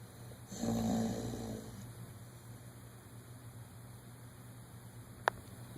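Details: Dodger, a one-year-old dog, snores loudly while dreaming in REM sleep: a single rasping, breathy snore lasting just over a second, then quiet room hum.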